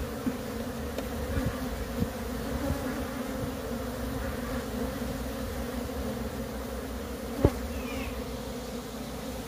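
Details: Many wild honey bees from a split colony being moved, humming in a thick, even drone throughout, broken by occasional sharp clicks and a louder knock partway through.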